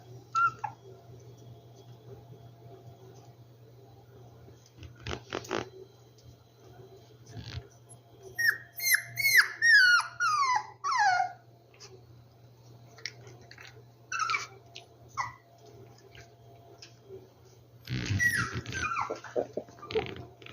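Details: Indoors among rescued puppies, a burst of rapid, downward-sliding whimpers and squeaky whines clusters midway, surrounded by clattering, shuffling movement noises and a few later isolated yips.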